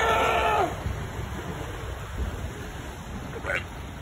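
A seal gives a brief, loud, harmonic call that slides downward, then surf and wind take over.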